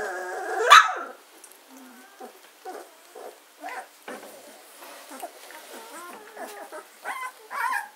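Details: German Shorthaired Pointer puppies, 14 days old, at Katelands gundogs on 24 August 2016; one loud squeal opens, then scattered soft short whines and squeaks from the litter with quiet gaps between.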